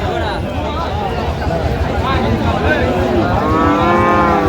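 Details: Lowing of Sahiwal breed cattle at a Joypurhat market on 20 October 2025. A short, throaty moo swells near the end over busy market hubbub, with people talking and a vehicle passing.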